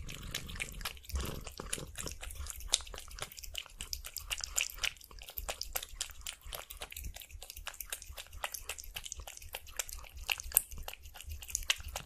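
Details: A cat eating sausage with sour cream, recorded close up indoors: rapid wet chewing and smacking clicks, dense bursts of crackly bites through the whole stretch.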